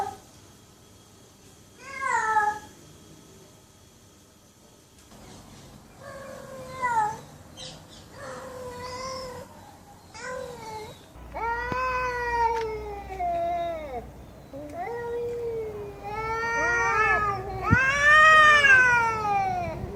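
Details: Domestic cat meowing: a series of separate tonal, rich meows that rise and fall, mostly short at first. Longer, louder, drawn-out wavering meows come in the second half, with faint room noise between calls.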